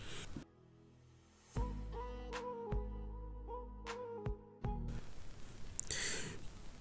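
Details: Brief music with sustained tones and sharp percussive hits, between stretches of breathy noise.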